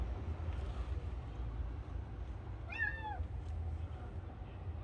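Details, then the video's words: Stray kitten on an urban street gives a single short meow, rising then falling, over a steady low hum of traffic. "새끼 고양이 물음소리나는곳에 가보니"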